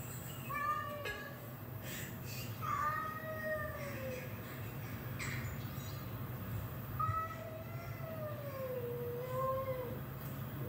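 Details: Domestic cat reacting excitedly while watching cat fight videos; several drawn-out wavering meows and yowls, some rising then falling, spread across the clip over a steady low hum and faint background noise.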